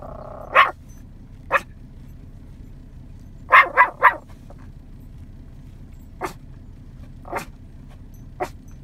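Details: A nine-month-old Yorkie calls in cows scattered across a field with bright, sharp barks, single and then a rapid cluster of three, followed by fainter yips, over low steady background noise.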